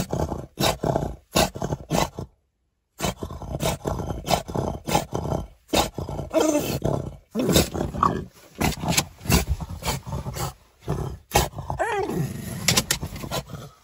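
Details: French Bulldog, outraged, giving repeated harsh growling roars in rapid bursts with brief pauses, broadband and rasping, continuing throughout.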